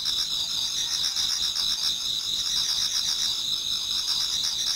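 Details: Autumn insects singing towards dawn in a Japanese garden: a dense, continuous high-pitched chorus of trilling and pulsing tones, several overlapping callers forming steady bands with no pauses, and a faint lower pulsing layer beneath.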